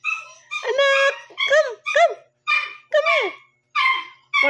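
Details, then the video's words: Shih Tzu puppy, one month and seven days old, whose midnight barking woke its owner; a run of shrill, harmonic yips and whimpers, each bending up then down, repeated about every half second with short gaps. "shitzu 1 month And 7 days tumatahol na pala"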